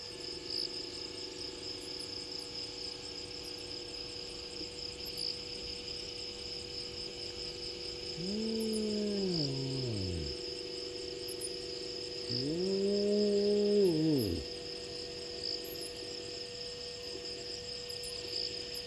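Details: A lone spotted hyena walking past Gowrie dam waterhole, Djuma Game Reserve, Sabi Sand, South Africa, at 23:19 on 01/03/20 gives two low, hooting whoops that swoop up and fall away, over steady insect trilling.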